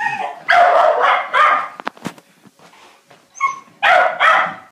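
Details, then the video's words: Jack Russell terrier x beagle cross excitedly barking at a beagle down the road: loud, harsh, rapid barks in pairs, a brief lull with soft noises, then another close pair of rough barks. "Jack Russell x Beagle barking at full breed Beagle"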